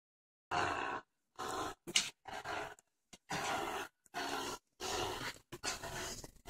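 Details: Ginger, a four-month-old boxer/pit bull mix puppy, growls while playing tug of war: rough, noisy growl bursts about half a second to a second long, broken by short silences.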